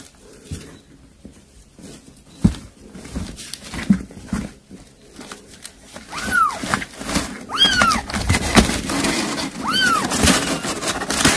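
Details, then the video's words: Cat mother calling kittens over prey she caught to feed them: after a stretch of knocks and rustling, three or four clear arched meows between six and ten seconds over rising hissy background noise. "아깽이 부르는 소리"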